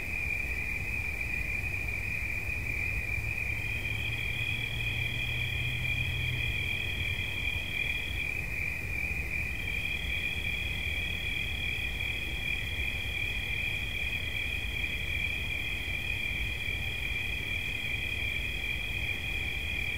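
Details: Steady shrill cricket chorus: one trill runs throughout while a second, slightly higher trill starts, stops, and resumes, over a low rumble and brief hum early on.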